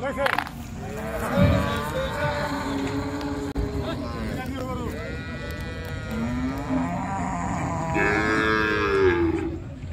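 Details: Cows unloaded from the river side at a popular village cattle market, several overlapping moos: long, level lowing calls from more than one animal, one rising near the end, beneath a steady background of people and market noise.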